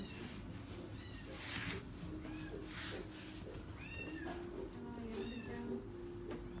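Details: Seal point Himalayan cat, a male born 31 August 2018, kept at a pet shop, making repeated small arching meows that rise and fall, over constant low background hum and scattered noise.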